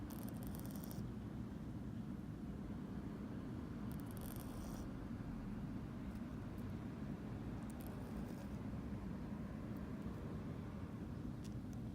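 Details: Steady low rumbling noise fills the recording, with a few brief high scraping and rattling bursts and no clear animal voice.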